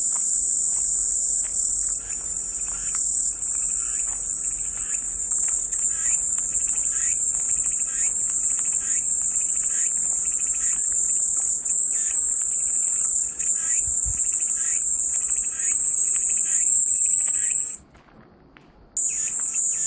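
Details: Continuous high, shrill cicada drone running unbroken for about seventeen seconds, with faint lower pulsing chirps beneath, then a brief one-second silence before the buzzing returns.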